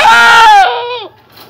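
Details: Boer goat Coffee, a young male whose voice is changing during puberty or the rut, lets out a single loud, strained, harmonic-rich bleat that holds steady, then drops and fades near the end.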